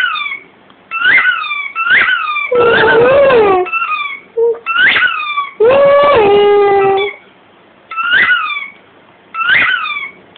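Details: Pet dog howling in time with the squeaks of a rugby ball toy it bites indoors. Bright, quick squeak bursts repeat roughly every second, interrupted by two long, wavering howls that rise slightly, then sag and hold.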